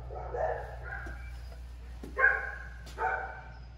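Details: Pit bull in dog training, with softer muffled barks early, then two loud, rich barks less than a second apart near the end. A constant low background hum runs throughout.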